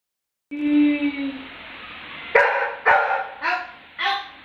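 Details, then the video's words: Labrador dog reacting with attitude to being mocked: a long tonal whine with clear harmonics, then four short sharp barks roughly half a second apart. "Attitude issues 😅 | He couldn't tolerate mocking at him"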